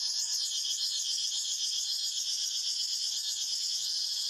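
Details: Cicadas in the forest fill the air with a constant, intense high-pitched buzz, pulsing quickly and evenly with no breaks.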